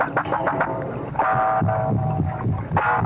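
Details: Walrus mating song from a lekking species known for vocal learning: strange, droning, bell-like tones held for a second or so over low throbbing knocks, played back as a recording in a lecture hall.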